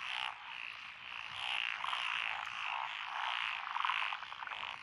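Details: Frogs calling together from lotus rice paddies beside a rural road in Echizen, Fukui Prefecture, recorded June 12, 2021; a thick, steady mass of croaks swells and fades in waves, dotted with short sharp trills.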